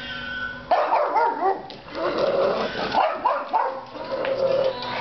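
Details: A pug reacts to cat meows in the song "Kitty" by The Presidents of the United States of America, taking them for real cats. It gives a run of excited yips and wavering, whiny howl-like cries with brief pauses.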